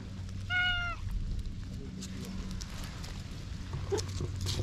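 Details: Stray cat suddenly warming to and opening up to a man, giving one clear, drawn-out meow with a slight falling end, followed by quiet. A steady low hum runs underneath.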